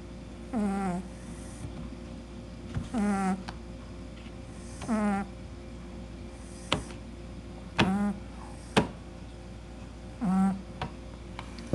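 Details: Kishu puppy asleep indoors, snoring in a steady rhythm: a nasal, slightly tonal snore with a rising-then-falling whine repeats about every two and a half seconds, with a few soft clicks between breaths.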